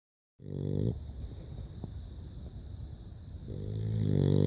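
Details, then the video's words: A dog snoring: a low, rumbling harmonic snore at the start, a quiet stretch with steady background hiss, then another long, rising snore toward the end. "Snoring dog"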